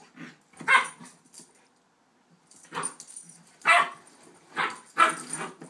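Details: Playful barks and growly yaps from two puppy sisters, a one-year-old Rhodesian and an eight-week Shepherd/Rottweiler pup, at play; short bursts in clusters with a quiet gap near two seconds, then four sharp barks about a second apart.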